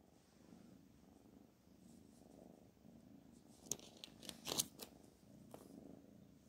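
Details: Quiet low purring from the pet cat Black Panther next to calligraphy work, broken midway by a burst of sharp scratching and rustling, then the soft rumble again.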